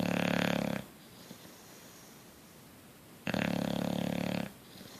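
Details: Bulldog Coach sleeping and snoring: a coarse, fluttering snore, a quiet gap of about two and a half seconds, then a second long vibrating snore.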